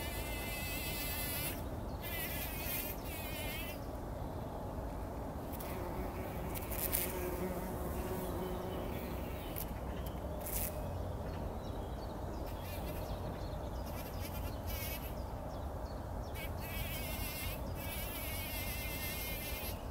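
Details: Several bumblebees rolling in poppy blossoms early in the morning before sunrise, 2019; a steady low buzzing drone fills the recording, broken by short, high, rippling bursts that come and go.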